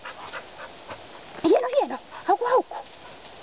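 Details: Two Finnish Karelian Bear Dogs bay wild boar with high, whining yelps that rise and fall, while the handler praises them.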